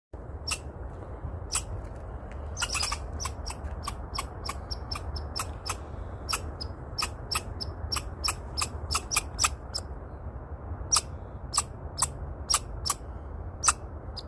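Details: A squirrel at a bird feeder gives a run of sharp, high chips at irregular, fairly quick intervals over a low rumble.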